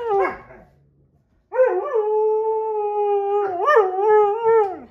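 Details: Sasha the Husky-Malamute mix complains while Kat the Husky and Paco the Doberman play; a short sharp yelp, a brief pause, then a drawn-out howl with a quavering middle and a lift before trailing down.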